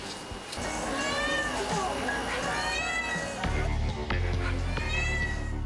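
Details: A mother cat, a café's mascot, gives drawn-out, wavering meows that rise and fall as she calls anxiously for her kittens on the café roof at closing time, signalling "mom is here". Background music plays.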